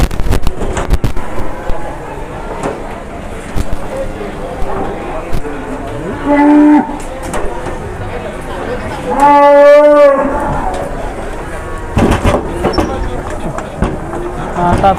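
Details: Big jumbo cow at an Indonesian cattle market, briefly rampaging before sale; a short moo, then a loud, deep, rich bellow lasting about a second, over people talking, shouting and background market noise.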